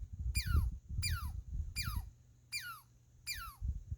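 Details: Five falling, zapping squeaks from a squirrel, evenly spaced about three-quarters of a second apart, each dropping fast from very high pitch, over heavy low-pitched rumble and handling noise.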